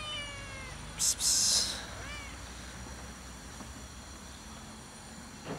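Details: Fluffy, apparently abandoned female cat living on top of a shack, meowing loudly for affection rather than food: a falling, harmonic-rich meow opens, a short hiss-like noise burst follows, then a second shorter meow, over steady low background rumble.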